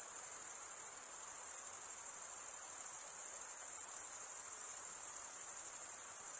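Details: Crickets make a dense, high-pitched, evenly pulsing chirp that runs without a break, with a faint low background hiss and no other animals heard.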